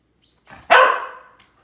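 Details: Lucy, a Samoyed dog, chasing squirrels during quarantine, gives a single loud, sharp bark that falls away into a short trailing whine, with faint softer sounds just before it.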